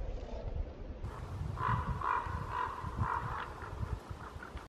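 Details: A young roe buck, alarmed, flees into the forest, giving a short series of hoarse, mid-pitched calls over a rumble of wind.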